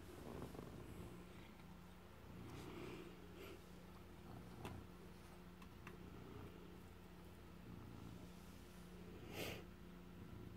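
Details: Formerly stray male house cat, adopted after arriving hurt last Halloween, guards a piece of stolen cheese indoors; a low, steady rumbling purr runs throughout, broken by a few short, louder broadband bursts, with faint background hum.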